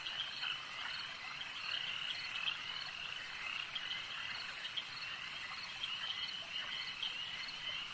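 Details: Frogs at a lake keep up a constant high-pitched trilling chorus, dotted with brief brighter chirps and small bursts of louder calls above the dense background.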